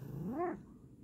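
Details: Bengal cat moving its paw on request, uttering a brief rising-then-falling meow with bright stacked harmonics, peaking midway and ending abruptly, followed by quiet room tone.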